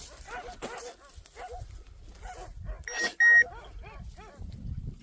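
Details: Hunting German Shorthaired Pointer letting out quick clusters of high, arched yelps and whines in bursts. A sharp, loud electronic beep cuts in briefly midway, with low rustling and thumping underneath.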